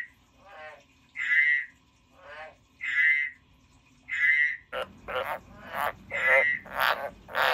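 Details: Frog giving evenly spaced bright croaks with pulsed lead-ins. Partway through, loud rustling or handling noise joins in, with more croaks mixed among the clatter.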